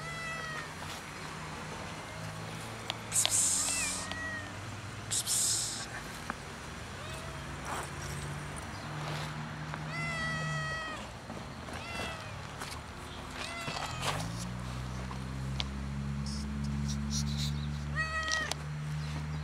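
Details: Solitary fluffy, funny-coloured cat sitting on a gas enclosure, waiting for food; a run of short, wavering meows, some quick and stuttering, repeated through the clip, with a low human voice and rumbling background toward the end.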